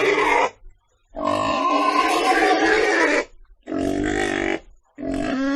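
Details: Pig giving loud harmonic squealing calls in three bursts: a short one, a long two-second squeal, then two shorter squeals, separated by brief silences.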